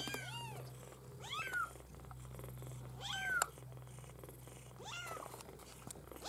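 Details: Maine Coon kittens from a litter bred at a cattery, giving high arched meows about every one to two seconds, some rising then falling, over a steady low hum.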